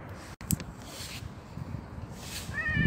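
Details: Black street cat being fed on a bench gives a short, bright meow right at the end, over a steady wash of outdoor background noise.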